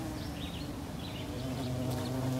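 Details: Eastern carpenter bees flying and zooming around give a steady, low, droning buzz, with faint bird chirps high above.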